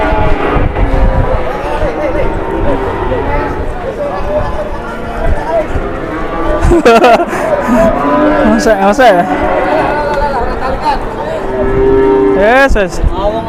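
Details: Cattle in a noisy scene where a new cattle scale has everyone confused. Deep, drawn-out moos rise out of steady background noise, mixed with men talking and calling, plus sharp clattering knocks near the middle and end.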